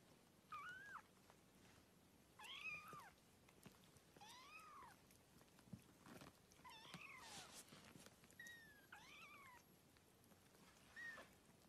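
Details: Newborn kittens suckling and playing, giving high, thin arched meows with rising-then-falling pitch, about six calls spaced irregularly over twelve seconds, with faint indoor background rustle.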